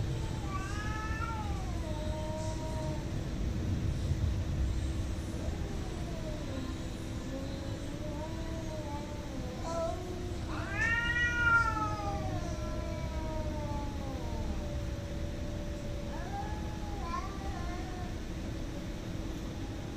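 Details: Cats fighting: long wavering yowls that rise and fall, drawn out over several seconds, with a louder rising howl midway and shorter harmonic wails near the end, over a steady low hum.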